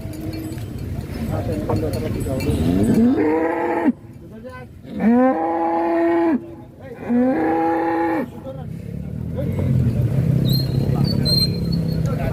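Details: Huge cattle being loaded onto a truck give three long, deep, drawn-out moos, each lasting over a second and rising slightly at the start, over a constant rumbling background of engine and crowd noise.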